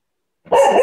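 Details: Coco, a cocker spaniel, playing with a ball: a single loud, harsh bark that cuts in suddenly and holds steady for a moment, rich in overtones.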